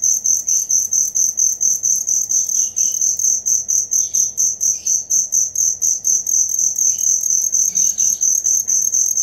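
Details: A cricket chirps continuously, recorded as material for songbirds to learn: a high pulsing trill about two beats per second, with a few faint lower chirps and twitters mixed in.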